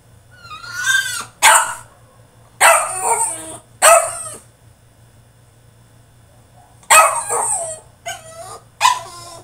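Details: French Bulldog male throwing a tantrum inside his cage: loud harsh barks mixed with rising-falling whines in irregular bursts, a pair of barks, a long silent gap, then a rapid run of yelping barks and whimpers at the end.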